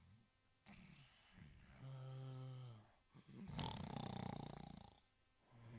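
An Italian Greyhound snores in its sleep, with low, rumbling breaths rising and falling.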